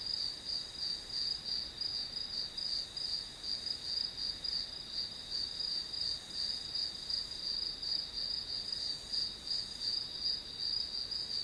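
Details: Grass insects sounding behind a study-with-me session: a dense, high trilling band whose pulses run together less evenly, rising and dipping slightly in loudness, with a steady high hiss underneath.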